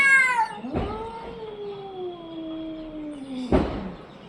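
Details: An orange-and-white cat lets out a high meow that drops into a long, steady, gradually falling wail of about three seconds. Two soft knocks are heard.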